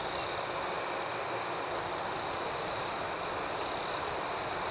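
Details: Night crickets keeping up an unbroken high-pitched trill, with a pulsing upper chirp beating irregularly above it over a soft, even wash of ambient noise.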